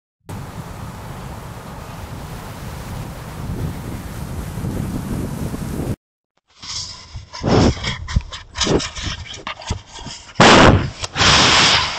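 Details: Steady wind rumble, a brief silence, then rustling and knocking thumps on the camera; no animal voice is heard.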